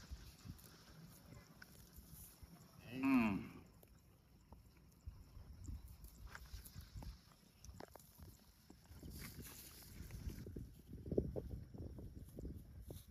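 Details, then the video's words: Shepherd's cows heading across a field toward the farm pen; one short harmonic moo near three seconds, falling slightly in pitch, over steady shuffling hoof steps, with a faint high whistle-like sound later and low rumbling background. "The sound of cows"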